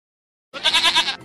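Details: Goat giving a single bright, quavering bleat with about six rapid wavers, lasting roughly half a second, followed by a faint hum, from a children's lesson on household animals.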